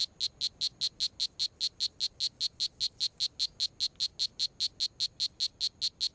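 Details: Poison dart frog calling in steady, rapid series of short, high, clicking chirps, about five per second, evenly spaced and unbroken throughout, with a faint low background hum.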